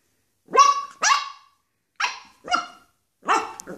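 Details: Pet dog, one of two (a Xoloitzcuintli and a Bull Terrier) on their first day together, gives five sharp, high, yelping barks in quick bursts, the first two close together, then three spaced roughly half a second to a second apart.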